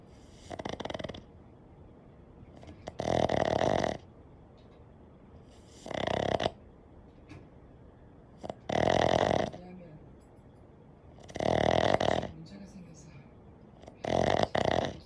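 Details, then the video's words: Everyday snoring of a Boston terrier: six harsh, buzzy snores in steady rhythm, one roughly every two and a half seconds, each about half a second to a second long, with soft breathing noise in the gaps. "보스턴테리어의 흔한 코골이 boston terrier"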